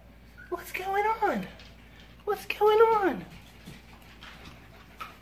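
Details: Five-week-old Havanese puppies at feeding time: two drawn-out whining cries, each starting high and sliding downward over about a second, with a person speaking nearby.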